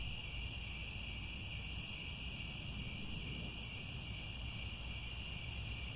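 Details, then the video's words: At Angkor Wat in Cambodia, grassland crickets at sunset keep up a seamless high buzzing drone in stacked bands, with steady low-frequency rumble underneath. "The Sound of Crickets at Sunset"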